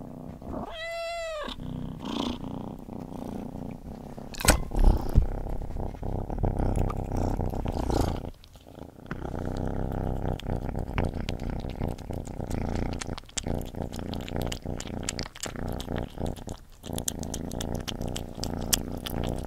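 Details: A cat eating gives one brief wavering meow at the start, followed by a long stretch of wet chewing, crunching and licking, with a loud click near five seconds.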